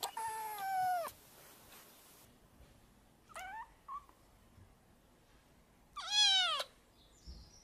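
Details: Kitten meowing for attention: a long descending meow, a short broken one, then a loud rising-falling meow, separated by quiet pauses of about two seconds.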